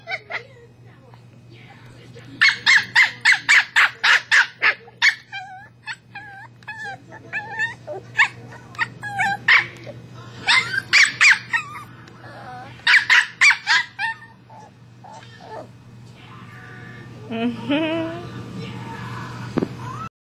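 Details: Pet West Highland White Terrier Bailey barking at his toy ball. Quick volleys of high, clipped barks repeat in bursts, then trail into softer whimpering notes near the end, with human voices mixed in.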